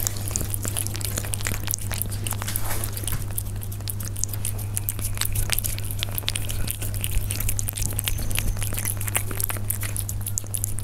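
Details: Up-close eating by Persian cats, a rapid patter of sharp crunching clicks from biting and chewing food, continuous throughout, with a constant low hum underneath.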